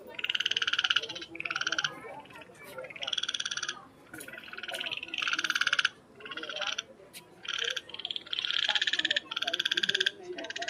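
A frog gives rapid, rasping pulsed croaks in bursts about a second long, repeated after brief pauses.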